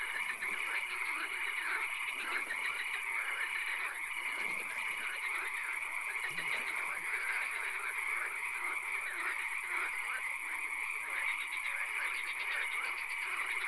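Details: Night swamp frog chorus with occasional rain: many frogs croaking together in rough rattling pulses, softer dashed notes in the background, and a steady shrill hiss that never lets up.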